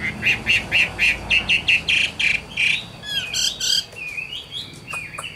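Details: Wild-caught Chinese hwamei, an old forest bird, singing: a run of about twelve loud, evenly spaced harsh chirps, then varied whistled phrases with rising and falling slurs.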